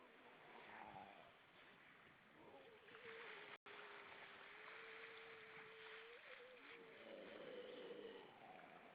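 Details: At Vilsandi in Estonia, a group of grey seals above the water, 25 September 2012 at 19:33: one long, steady mid-pitched wail held about four seconds with a small kink near its end, beneath constant surf-like hiss.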